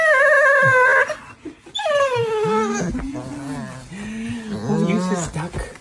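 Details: Dog that doesn't want to go to preschool gives a steady howl, then a second falling howl, followed by a person talking gently to it.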